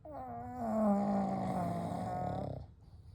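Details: One drawn-out snore from the sleeping pugs Kou, Gen and Shun: a nasal, whistly wheeze with a slightly falling pitch holds for about two and a half seconds, then fades into quiet breathing.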